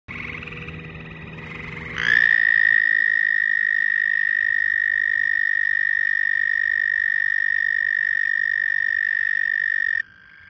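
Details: Frog giving a loud, steady, high-pitched trill that starts abruptly after about two seconds of quieter sound, holds an even tone for roughly eight seconds, then stops suddenly.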